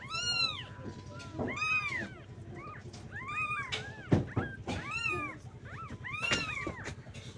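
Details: Young kittens call to their mother for milk with high, bowed meows repeated about every second. A brief knock and some background rumble sit beneath the cries.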